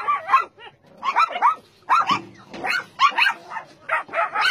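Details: Barking dogs held on a dog meat farm and puppy mill in Nonsan, South Korea, January 2017, among about 150 dogs of breeds such as Doberman and Golden Retriever: clusters of short, yelping barks, several dogs overlapping.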